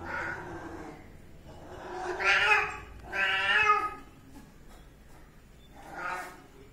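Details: Kitten meowing in a short sequence of four harmonic meows, each rising then falling in pitch, the middle two loudest and longest, with quiet room background between calls.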